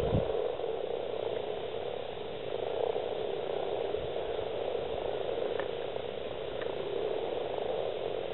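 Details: Dense chorus of breeding male common frogs (Rana temporaria), at least 70 present, East Kilbride, South Lanarkshire, Scotland, 28 February 2012; continuous low purring croaks overlapping into a steady rumbling drone.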